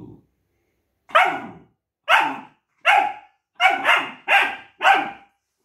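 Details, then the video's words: Duke, a longcoat German Shepherd puppy who dislikes his multivitamin, argues with his owner in seven sharp barks, spaced about a second apart at first, then coming faster, with a brief low grumble before them. "Duke dislikes 👎 multivitamin & arguing with mom || Longcoat gsd puppy"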